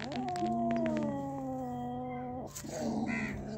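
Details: Cats Kaallu and Motu, holding a big mouse they caught, give a long sustained moaning yowl lasting over two seconds, then a short break and a rougher, lower growl with light background noise.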